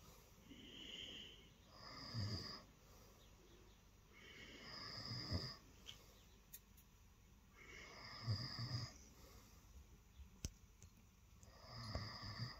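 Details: Cat named Lilo purring while snuggling on a bed early in the morning, wanting attention; rough rumbling comes in repeated breathy surges about every three seconds, alternating louder and softer, with faint clicks indoors.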